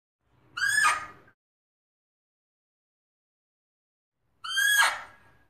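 Fea's muntjac giving two harsh, rasping barks about four seconds apart.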